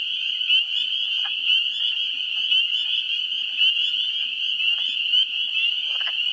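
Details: In a New Hampshire swamp during the first week of April, spring peepers keep up a continuous high-pitched peeping chorus, while occasional low, clucking wood frog calls stand out now and then.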